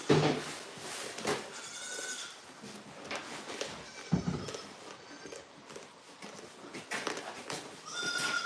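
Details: Goat on a farm giving a few strained, nasal bleats with stacked overtones, near the start and again at the end, between knocks, rustling and clattering noises.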